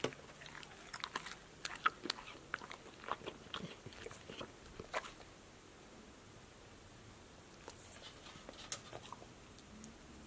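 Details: A pet dog named Passport, female, munches crunchy fruit and vegetable snacks like apple, lettuce, sunflower seeds, tomato and green beans in a close ASMR recording; a flurry of crisp bites fills the first half, then a quieter pause before a few more crunches.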